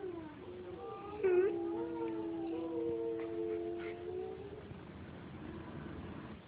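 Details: A young male German Shepherd, still perfecting his howl, howls along to wolves at night, a long, drawn-out howl that wavers slightly in pitch.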